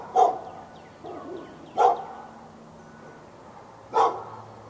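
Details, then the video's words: Barking dog behind a backyard fence in Raleigh, North Carolina, February 15, 2012, directed at the dog next door during a morning-to-afternoon bout; three strong barks and one softer bark a second or two apart, with faint birdsong. "Barking Insanity!"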